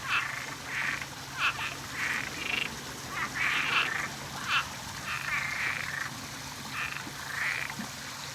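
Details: A dense night chorus of frogs in Florida on a full-moon night, overlapping nasal, buzzy calls repeated in rapid bursts; at least three frog types and one or two toad types present.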